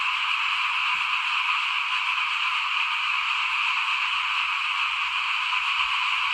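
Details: Frogs calling in front of a house while rice is sown for planting, 2021. A dense, steady high-pitched chorus with a faint low background rumble.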